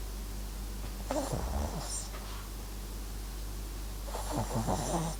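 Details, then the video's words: Papillon and Japanese Chin mix MAX snores in deep sleep, two gravelly, fluttering breaths separated by a few seconds of low hum, the second snore longer and rougher. "パピヨン 狆 MAXくん！いびきも可愛いね～！"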